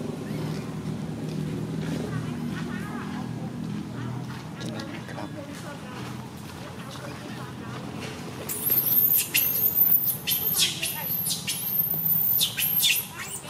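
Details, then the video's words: Tiny baby monkey MoMo, a female, crying after she falls down; after a low murmur of background noise, shrill, very high arched cries burst out in a rapid series over the last five seconds. "Tiny baby monkey MoMo falls down while she crying."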